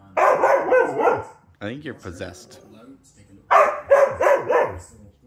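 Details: A Siberian Husky gives a rough volley of barking, talk-like bursts, then a quieter wavering whine, then another harsh run of three or four barks.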